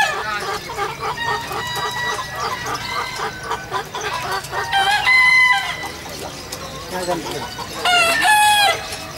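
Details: Competing Bekisar roosters at the 2019 contest final in Surabaya give several overlapping crows. Two louder ringing crows come near the middle and the end, over rhythmic music, clapping and a noisy crowd.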